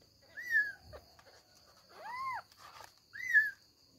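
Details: Kittens trying to climb out of their bed so they can run around; two short high arched mews with a quieter double mew between, over a steady faint background hum.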